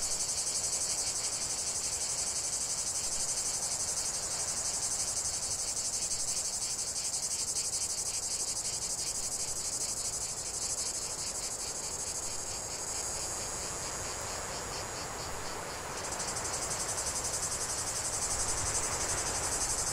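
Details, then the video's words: Cicada chorus from a long uninterrupted nature recording: loud, continuous shrill buzzing, finely pulsed, holding steady with a brief dip in intensity before resuming. "45 min de chant des cigales"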